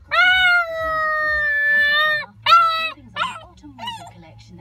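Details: An 8-week-old Husky–Malamute mix puppy, newly with its family, howls for a child: a long, steady howl slowly falling in pitch, then a shorter second howl, learning to howl during the clip.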